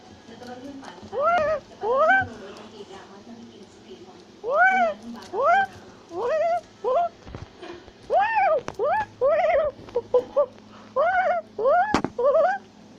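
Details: Tufted capuchin, or black-capped capuchin, in South America, climbing a tree while shouting and chattering. About twenty arched, harmonic wailing calls come singly or in pairs over steady low background hum.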